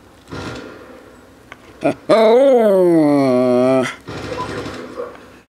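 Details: While playing ball, Bailey the Westie lets out one long, sustained moaning 'talk' lasting nearly two seconds, rising then slowly falling in pitch, framed by softer grumbling sounds.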